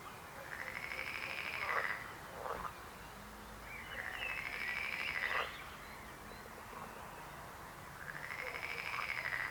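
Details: Frogs croaking: rapid pulsed trills lasting about one and a half seconds recur every three to four seconds, mixed with brief clucking notes against a faint hiss.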